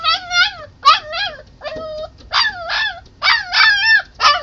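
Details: Puppy crying at a sliding glass door to be let inside, not realizing it is already open; a rapid series of high, wavering whines with rich harmonics, about three per second, some bending up and down.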